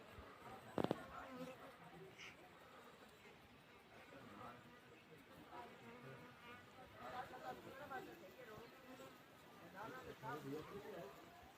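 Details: Honey bees at a homemade bee house give a low, continuous buzzing hum with layered tones, a sharp click near the start, and quiet murmured voices in the second half.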